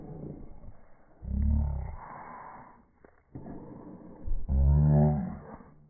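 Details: Two loud, deep growls from Boston Terriers contesting a ball, one early and one near the end, separated by softer grumbling and breathy snorts.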